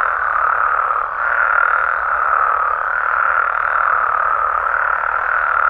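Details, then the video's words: Frogs and toads in Mexico at night, many calling at once in a steady, dense mid-pitched croaking chorus that rises and falls slightly in loudness, nothing else audible. "Mexican Frogs & Toads Sounds"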